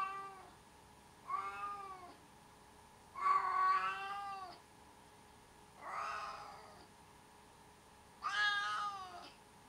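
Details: Four plaintive meows from a cat, each roughly a second long and spaced about two seconds apart. Some are harsher and more wailing than others. A low steady hum runs underneath.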